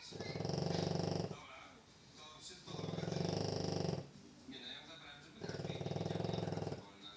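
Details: French Bulldog snoring while asleep inside; three drawn-out, throaty, vibrating snores of roughly a second and a half, spaced evenly with soft exhalations in the gaps.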